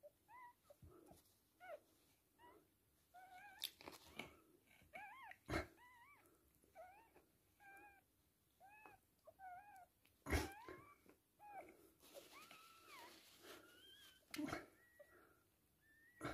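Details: Repeated short, pitch-bending squeals and mewing cries in irregular runs as a Toy Poodle gives birth to three female puppies, broken by several loud knocks and handling noises.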